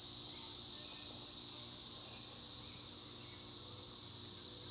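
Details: Cicadas that emerged from a tree, producing a continuous piercing high buzz, even and unbroken for the whole stretch with no other clear sounds.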